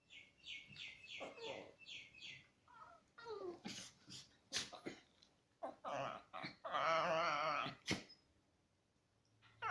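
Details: Chihuahua cross dogs playing together indoors make a run of squeaky yips, whines and wavering growl-like yodels.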